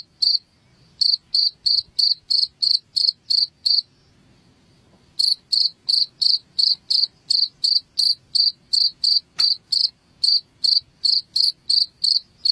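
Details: Shrill cricket chirping for chasing rats out of a home: a fast series of high pulses, a silent stretch of about a second and a half in the middle, then the steady chirps return.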